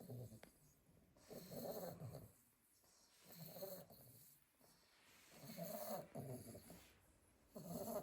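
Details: Sleeping Staffordshire Bull Terrier puppies from a litter of eight, gentle snoring in slow waves roughly every two seconds, rough breathy inhalations with hushed gaps between.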